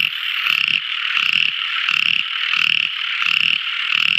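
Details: Small frog calling at night, each croak a brief rattling burst about every 0.8 seconds, layered over a loud continuous high whistle-like trill.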